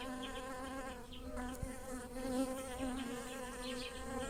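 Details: Bees flying around lilac blossoms in a garden, pollinating flowers; a continuous low humming drone with wavering pitch as wingbeats shift, loudest around the middle as one passes close.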